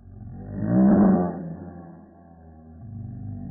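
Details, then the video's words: Female Pekingese dog's bark filmed in slow motion, sounding like a lion: one deep, drawn-out roaring swell that peaks and fades, followed by a lower, softer rumble. "Dog barks like a monkey, cow, and lion"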